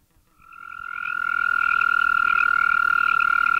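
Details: Arroyo toad (Bufo microscaphus californicus) giving its mating call: a steady, sustained high trill holding one pitch, fading in over the first second and then continuing unbroken, with a faint upper harmonic.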